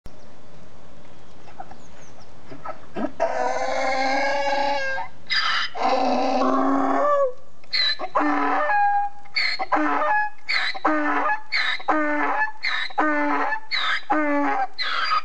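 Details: Squeaking donkey in Volkspark Hasenheide, Berlin-Neukölln, Germany, recorded 17 February 2014: a long, harsh, harmonic bray, then a rhythmic seesaw of squeaky wheezes repeating about once per second.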